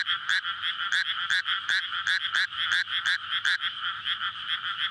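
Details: Courting frogs in a newly flooded rice paddy on a May night, Japan-style field beside housing; croaks pulse about two to three times per second over a constant chorus drone, recorded with a SONY PCM-D100.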